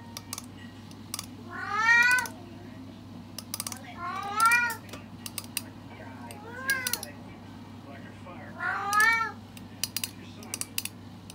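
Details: Pet cat meowing while trying a TikTok trend: four drawn-out, harmonic meows that rise then fall, spaced about two seconds apart, with sharp tapping clicks and a low steady hum in the background.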